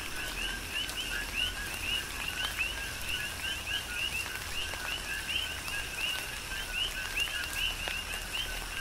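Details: Chorus of coqui frogs recorded in tropical rain on Hawaii's Big Island: dense overlapping two-part co-qui calls, a short low tone then an upswept whistle, nearly continuous against a background hiss of rainfall.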